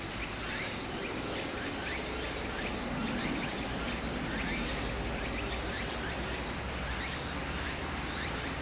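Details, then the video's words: Cicadas buzz in a continuous high shrill wash during summer in Japan, with faint repeated rising chirps, almost drowned by the loud, even rush of a nearby stream. "小川の流れと蝉の声 自然音 ～夏～ Japan Sound of nature Cicada's voice"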